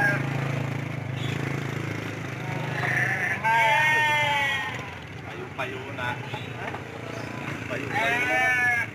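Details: Amid the bustle of traders at the Andir sheep market in Bayongbong, Garut, a nasal wavering bleat rises after three seconds and another follows near the end, with people talking throughout.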